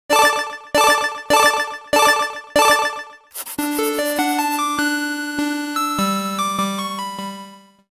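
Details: A bright electronic jingle of five repeated chime chords, followed by a rising run of synthesizer notes over a sustained low tone, with no animal voice present.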